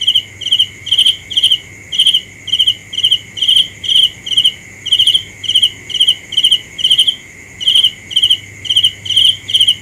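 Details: A cricket gives rapid, evenly spaced shrill chirps, roughly two per second, each made of several quick pulses, against a steady high drone and a faint upper buzzing band.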